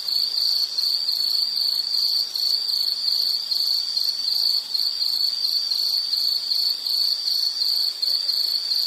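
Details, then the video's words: Steady pulsing insect call, piercing and high, chirps following each other at an even quick pace without pause, offered as soothing background sound; only faint hiss besides. "Nature Sound of nature sounds scenery L · insect"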